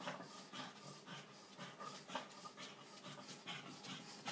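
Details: Epileptic two-year-old Boston terrier Piper in a night seizure; rapid, rough panting gasps come in quick broadband bursts, uneven in strength, while someone calls the dog's name.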